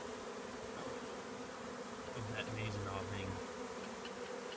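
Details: Western honey bee swarm moving into an empty hive in March 2020 gives a steady, dense, friendly hum, with a deeper buzz swelling briefly in the middle.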